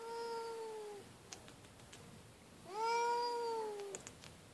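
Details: Loud feral she-cat living at an animal shelter: two long, steady, wailing meows, the first sliding slightly downward, the second rising then holding level before cutting off, separated by a quiet gap with a few small clicks.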